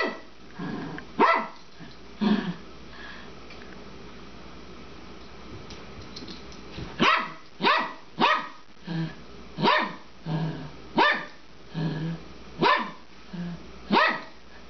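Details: An elderly female Papillon, aged 12, plays with her bone indoors, tossing and chasing it. A few scattered yaps are followed by a steady run of short, sharp barks about every 0.7 seconds.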